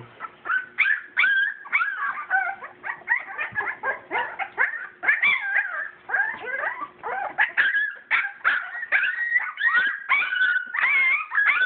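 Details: Playing litter of purebred English Springer Spaniel puppies born 7/22/12. Rapid overlapping whimpers, squeals and short yips pour out steadily for the whole stretch, pitched high and wavering, with a low hum faintly behind.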